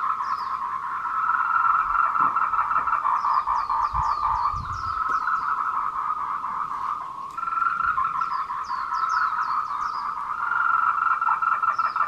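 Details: Afternoon courtship chorus of tree frogs, 14:00 on 26 April 2018, Meiling Wulong Trail, Nanxi, Tainan, Taiwan, recorded on a Canon PowerShot SX720HS; many overlapping pulsed calls form a constant buzz, with groups of thin rising-falling chirps and a few low thumps.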